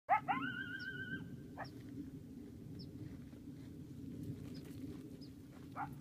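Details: At night at Telephone Cove, Nevada, a coyote opens with sharp, quick rising yips that level into a sustained, steady, clear howl, then breaks off; a few short, thin yips follow over a steady low rumble. Coyote.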